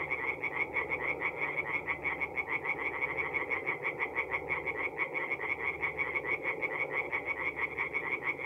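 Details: Tree frogs singing at night in a forest pond in North-East Italy in mid April: a dense chorus of rapid, rattling croaks pulsing several times a second, overlapping callers filling the air with a steady throbbing trill.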